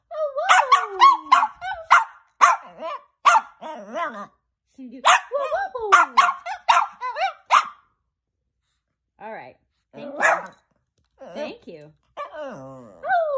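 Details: A Chihuahua named Rocco gives rapid, high yapping barks, whining and warbling, howl-like vocal sounds while his owner coaxes him to "say I love you."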